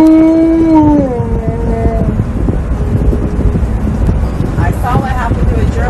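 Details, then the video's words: Loud seatbelt protest from Tonka, an Alaskan Malamute in a car: a sustained howl that bends downward and fades, followed by quieter yelping grumbles, all over a constant low road hum. "MAD Malamute! Loudly Protests Wearing A Seatbelt!"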